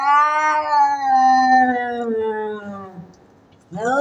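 A domestic cat gives a long, drawn-out yowl that slowly sinks in pitch during a fight.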